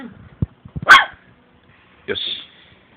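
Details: At home, a person speaks briefly, then a female long-coat Chihuahua born in 2010 gives a single sharp bark and, after a pause, a thin high whine.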